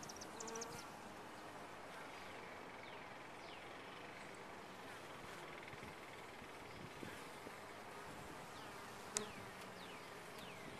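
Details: Steady, many-layered droning of bees in a top-bar hive, constant throughout, with faint high sliding chirps overhead and a sharp click near the end.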